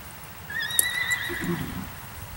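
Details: A tense Tennessee Walking Horse mare during lunging and her first circle-driving session. She gives one thin, wavering high whinny lasting about a second and a half, then a brief lower throaty rumble, against a quiet background.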